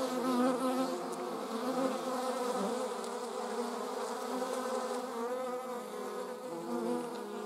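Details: Slow-motion flight of German wasps: a dense, even wing hum with bright banded overtones, loudest at the start and easing slightly, the pitch wavering as wasps move about.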